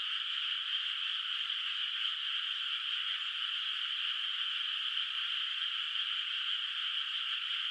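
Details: Frogs in a moonlit, unplanted rice field at night, heard from a distance in the countryside; many voices merge into one continuous, even, buzzy trill with no pauses, and a thin steady high-pitched tone runs behind them.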